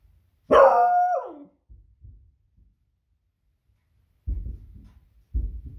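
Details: Alarmed female pet Beagle reacting to very noisy fireworks on a Friday evening: one long, loud bark with a falling tail, followed by low thumps and rumbling growls or booms.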